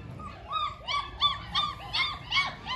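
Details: German Shepherd puppy at a dog kennel in India whimpering: a series of about eight high, thin, whining yelps, each arching up then down, repeated roughly every third of a second.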